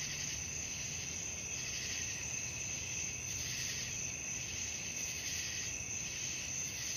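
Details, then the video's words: A continuous nocturnal cricket chorus, thin and high, with layered trills and soft periodic surges, otherwise quiet surroundings. "suara jangkrik malam"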